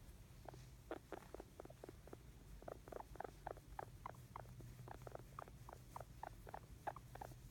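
A guinea pig gives a steady run of short, squeaky chirps, several each second, sounding content.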